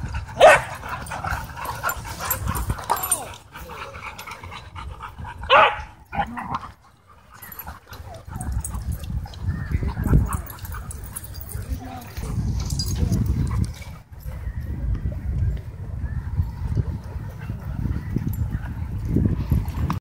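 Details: Dogs in wild play at a dog park; short sharp barks and yips burst out near the start and again around six seconds, over steady low rumbling, scuffling and human laughter and voices.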